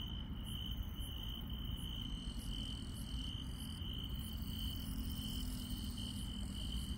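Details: Insects chirping at night in the Korean countryside: a steady high trill holds one pitch throughout, with faint pulsed calls above it, over a constant low rumble of background noise.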